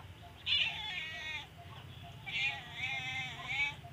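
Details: Sleepy domestic cat that wants to keep sleeping and seems sick, giving two drawn-out, tonal, harmonic meows, the first short and bright, the second longer and wavering, over a low steady hum.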